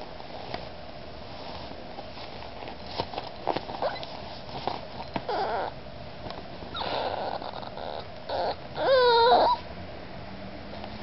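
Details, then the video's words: An 8-week-old male Miniature Pinscher puppy gives a brief, wavering high whine, trying to climb onto the couch to be with his owner. "Miniature Pinscher puppy Kenji being very needy"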